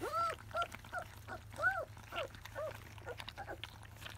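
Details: Field-type Labrador Retriever puppies, 25 days old, tasting their first weaning food. High, arched whining squeals rise and fall in quick succession, roughly twice a second, over a low steady hum.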